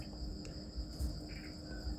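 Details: Farmed crickets trilling steadily in high sustained tones, accompanied by a faint background hum and a few brief knocks.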